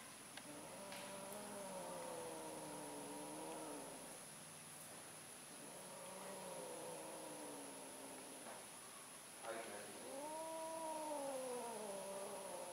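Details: Domestic cats during mating, an orange cat trying again to mate: long drawn-out wavering yowls, three low moaning wails rising and falling over several seconds each, with a brief faint click between.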